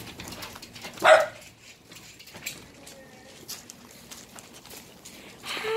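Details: Female six-month-old rescued Border Collie mix puppy in Kuala Lumpur, Malaysia, indoors: one loud, sharp bark early on, then quiet rustling and small knocks, with a second bark just beginning at the very end.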